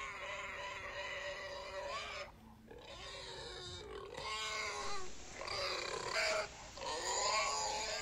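A pig gives loud, harmonic squeals and squeaky grunts in a near-continuous run, with brief pauses.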